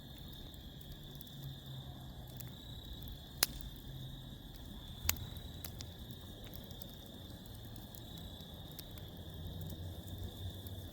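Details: Night-time crickets outdoors keep up an even, unbroken high trill while a campfire crackles nearby, with two loud pops standing out and a low rumbling murmur underneath.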